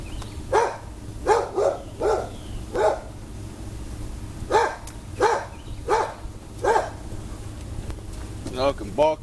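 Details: Dogs bark at a man working outdoors on a car on a mosquito-filled day, a steady series of short, sharp woofs, with his voice near the end.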